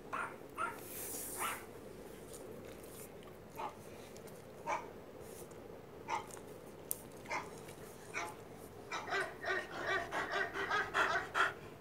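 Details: Cookie, a pet dog, angry and worried, reacts to dog barking played from a phone; soft short barks and yelps spaced irregularly about a second apart, quickening into a rapid run of rhythmic bursts near the end.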